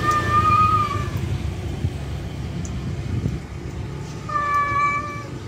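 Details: Two long, even yowls from a male cat calling a feral female to mate, one at the start and one at the end, separated by a pause filled with low rumbling noise.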